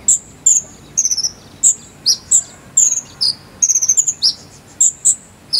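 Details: High-pitched cricket chirps of the 'jangkrik sambung cililin' type, used as fill-in sound for a konin bird: rapid stuttering pulse bursts alternate with single piercing notes and short downward glides, nearly continuous throughout.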